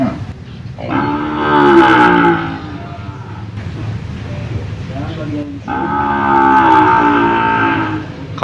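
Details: Cattle for sale at the Jonggol animal market: two long, loud, droning moos, each lasting about two seconds with a rich harmonic tone, separated by a short pause filled with low market murmur.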